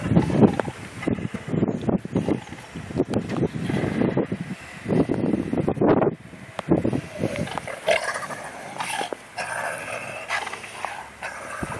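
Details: Two big dogs at play, trading rough, rapid growls and snarling bursts in quick succession, busiest early on, then tapering into quieter scuffling sounds.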